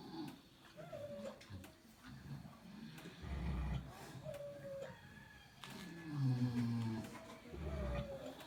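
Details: Snoring pigs giving heavy, low, rumbling breaths at irregular intervals, two strongest near the middle and the end, with faint thin whistled notes drifting above.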